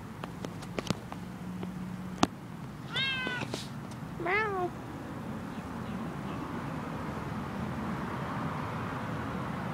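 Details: Stray male cat that has been hanging around outside, meowing twice in quick succession with clear harmonic, bent mews, preceded by sharp clicks and a low hum, then quieter background noise.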